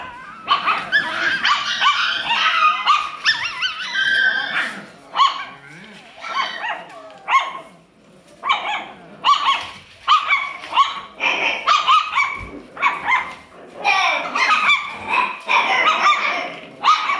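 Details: Alaskan Klee Kai puppy barking and yipping almost without pause, a dense run of high, rough bursts with brief whiny tones woven through.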